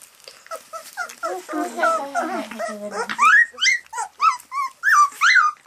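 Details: Golden Retriever puppies, 28 days old, at their first solid meal of lightly blanched ground beef after only milk: a series of high, short whines and squeaks, rising and falling, coming faster and louder toward the end.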